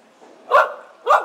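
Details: Poodle barking at the 2nd Coastal Poodle Picnic reunion, K9 Kampus, July 2011: two sharp, loud barks roughly half a second apart, with faint background chatter between them.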